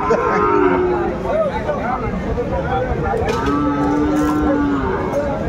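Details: At Aftabganj livestock market, Sahiwal cattle give two drawn-out, steady moos, an early one and a longer level one later, amid continuous buyers' talk and market noise, recorded 4 May 2024.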